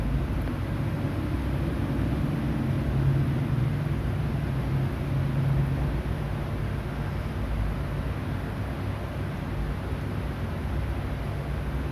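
Steady low rumble of engine or wind noise with no animal voices.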